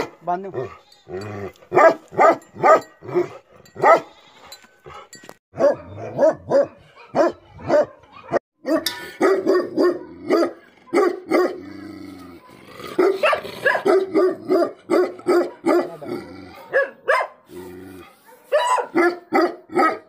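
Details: Bhote Kukur, the Tibetan Mastiff, barking angrily in a long, dense run of rapid barks with only brief pauses, some clustered in quick bursts, continuing for about twenty seconds.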